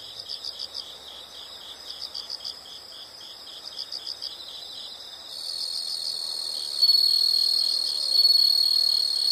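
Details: Insect chorus with quiet, rhythmic bursts of high chirps repeated about every second, swelling after five seconds into a steady, shrill, unbroken trill that grows louder near the end.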